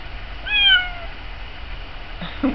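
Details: Sophie the pet cat, wanting out to the birds that fled the feeder, lets out one level, slightly descending meow lasting half a second, followed by faint rustling and a short thump.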